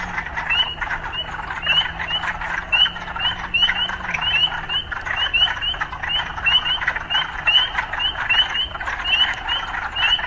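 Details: Urban frogs produce a fast, regularly repeating series of short upward-flicking notes over a dense pulsing chorus, accompanied by a low droning hum that shifts pitch midway.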